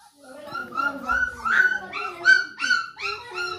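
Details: One-month-old beagle puppy at play, giving a series of high, whiny whimpers and yips that rise and fall, about eight short cries in under four seconds.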